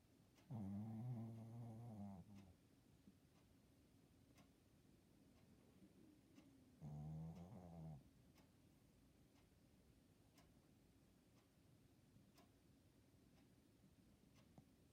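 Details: Sleeping pet Shih Tzu snoring indoors: two long rumbling, harmonic snores around 0.5–2.5 and 7–8 seconds, separated by quiet room tone with faint clicks.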